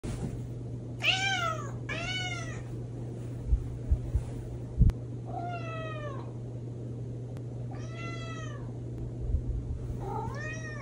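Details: Leo, a pet cat, wakes its owner in the morning with five drawn-out, harmonically rich meows at irregular intervals, each arching up then falling, over a constant low electrical hum with a few soft thuds midway.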